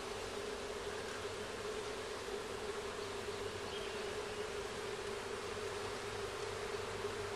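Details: Honey bee colony during a first hive inspection, comb present: a continuous, even droning hum holding one steady pitch band, with broad hiss underneath and no other clear sounds.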